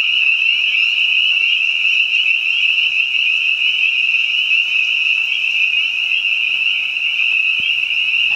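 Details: In spring, behind a house, spring peepers and other frogs sing together, their sharp high peeps massed into a dense, even, ringing chorus that holds steady from start to finish.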